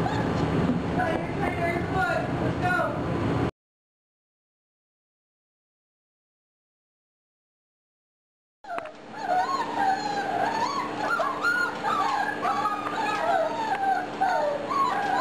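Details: Lucy's litter of German Shorthaired Pointer puppies, 4.5 weeks old: overlapping squeaky whimpers and yips rising and falling in pitch, several pups calling at once, broken by a silent gap midway, with faint human voices in the background.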